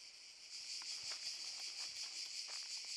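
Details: Loud, close cicada buzzing in Park Šuma Musapstan, Zadar, during August 2014, an intense shimmering whine swelling slightly, overlaid by scattered light clicks and taps.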